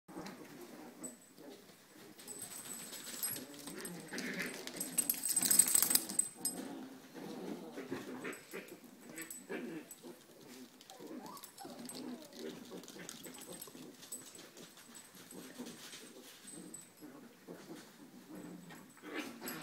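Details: Italian Greyhound puppies playing with their mother keep up a steady patter of high whimpers, squeaky yips and low grunts, with a brief scuffling rush partway through, indoors and close by.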